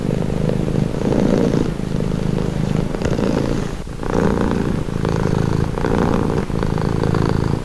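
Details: Purring cat heard up close: a deep, rhythmic rumble shifting between inhale and exhale phases about once a second, dipping briefly near the four-second point.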